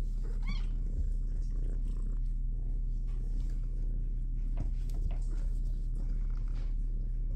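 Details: Continuous low purring from shelter kitten Minnow in the big kitty room, with one short, high, wavering meow early on and a few handling thumps.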